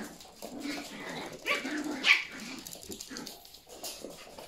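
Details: Indoor play between Yorkshire Terrier puppies and their mother. Brief high yips and a sharp bark-like squeak stand out over a busy background of scrabbling and rustling.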